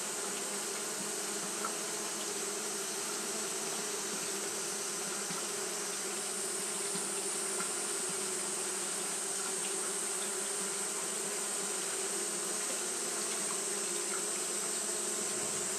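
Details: Continuous fanning hum of Japanese honey bees working through a hot day, a thick steady drone with a strong band near 400 and bright hiss overhead, never pausing across the stretch.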